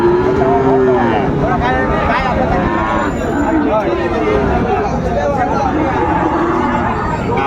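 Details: Lowing at a crowded Dinajpur livestock market, Ranigonj haat, on 3 September 2024, with Friesian and cross-bred bull calves: a clear moo opens, fainter moos follow, all under heavy human chatter and speech.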